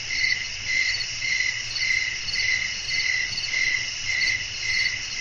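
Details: Crickets calling through a windy night: unbroken high trill, bright bands stacked one above another, beating in regular surges about every half second over a faint low murmur.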